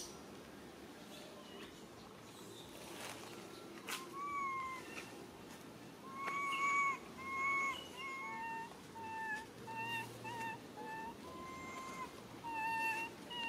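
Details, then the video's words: Little monkey crying sadly for its mother: a run of tonal, wavering cries, each with clear overtones, coming in bursts of short notes and longer drawn-out wails after a few quiet seconds, with faint background hiss and a low hum. "Little Monkey Lily cries so sad call Mama"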